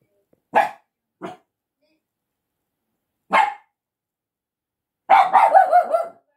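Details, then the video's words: Dog barking at a person, the dog tagged as a Shiba Inu or Yorkshire Terrier; sharp single barks spaced irregularly, then a rapid burst of several yapping barks, otherwise quiet. "吠えられる彩羽さん Barking"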